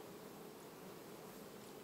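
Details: August beehive of honey bees, recorded 31 August 2019: a continuous murmuring buzz of many bees, unchanging in pitch and loudness throughout, with a faint wash of noise over the low steady tone.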